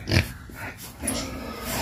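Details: A farm-raised wild boar, one of several kept at home in Vietnam, gives a short, low, rough grunt, then softer snuffling under background noise, as the animals call for food.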